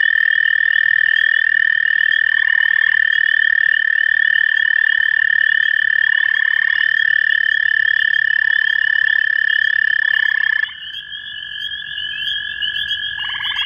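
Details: Two male American toads (Bufo americanus) in Cuyahoga County, Ohio, in May 2015 give long, steady, musical trills toward each other, one voice slightly lower than the other.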